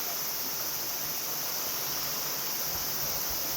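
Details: Only a steady, even hiss like rushing water or wind is heard, with no animal calling. The noise stays unchanged from start to finish, without any clear call or song.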